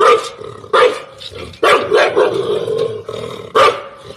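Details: From a terrace, a pet dog barks at another dog, with sharp, loud barks in quick succession and a harsh, growling tone between them.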